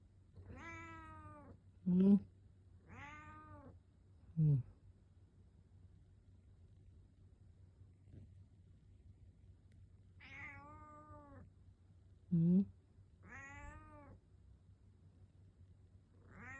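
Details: A cat meows at its owner in the morning as a wake-up call. Drawn-out, arched, tonal meows come in pairs, with short loud bursts between them that fit a person's sleepy "Hmm?" replies, over a low steady hum.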